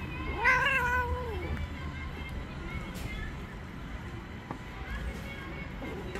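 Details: Irritated female tabby stray cat outdoors after being touched: one short wavering yowl at the start, followed by quiet background noise and faint low rumble.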